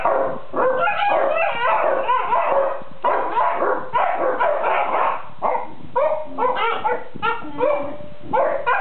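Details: Several Basset Hounds lying asleep together and complaining to one another: dense, overlapping groaning and whining vocalisations with rising and falling moans and short yips, continuous throughout, one kennel dog a white and lemon female.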